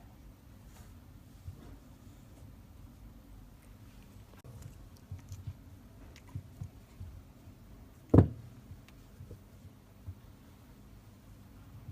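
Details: Quiet indoor room tone with low rumble, faint taps and a single sharp knock near the end.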